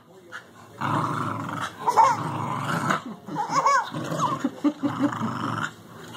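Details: Welsh Terrier puppy growling while playing with a 4-month-old baby who is amused by it; rough, low growls come in bursts over several seconds, mixed with an adult's voice talking to the baby.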